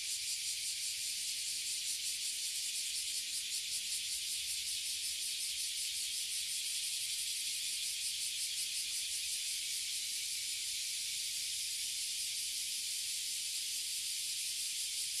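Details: Loud drone of oily cicadas and bear cicadas crowding a tree in Toyohashi City, Japan, where they appear yearly. It is a dense, high, sizzling buzz with a faint rhythmic pulsing, sustained without pause.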